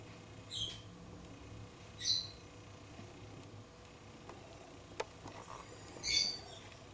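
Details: Fox pup close up on a front porch: three short, high, thin squeaky calls spaced a couple of seconds apart, over a quiet background with a single sharp click.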